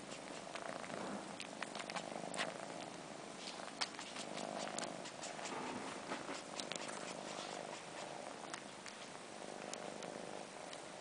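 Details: Four-month-old kittens missing their mother, fluffy long-haired Sheba sucking his own fur like a nipple with his sister Carla joining in; a quiet, steady low purr runs throughout, overlaid by wet slurping and sucking clicks.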